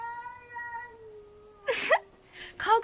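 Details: A night-time cat cry from an unseen cat: a sustained, even-pitched wail lasting nearly two seconds, then excited human voices talking over it as the cry trails off.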